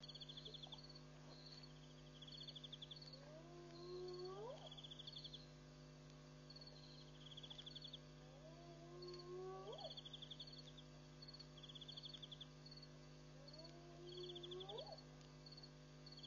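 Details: Spotted hyena at night at Pete's Pond waterhole, Mashatu Game Reserve, Botswana, on July 7, 2013, among many hyenas drinking and playing; three long rising whoops spaced about five seconds apart over pulsing crickets and a steady low hum.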